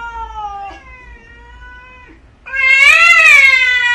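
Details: Cat meowing twice: a softer, steady tone that ends with a short drop, then a louder, strained wailing meow that arches up and down in pitch.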